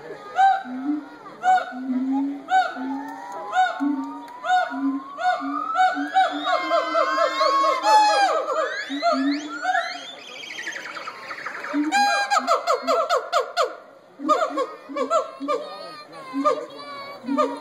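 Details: Gibbons at the Cincinnati Zoo hooting and howling: low repeated hoots build into a dense chorus of rising, sliding whoops that climb steeply and overlap, then break into rapid choppy notes before the hoots return.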